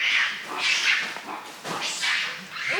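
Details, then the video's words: Monkeys near a well shout aggressively at intruding contestants, defending their territory and telling them to leave: harsh, noisy, high screeching shrieks in overlapping bursts roughly every half second. "On entend des bruits de singes qui sont en train de se battre. C'est pas ce qui se passe. Soit ils se battent, soit ils défendent leur territoire."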